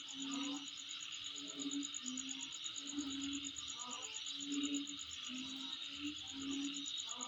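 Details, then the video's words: Insect calling near a home: a steady, high, rapidly pulsed trill running unbroken through the whole recording over a broad hiss, with a lower, soft hooting note repeated roughly every second underneath. "Sound Of Insect In My Place"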